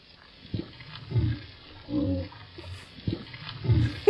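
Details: Gray whale; grunt; social call, likely linked to mating or breeding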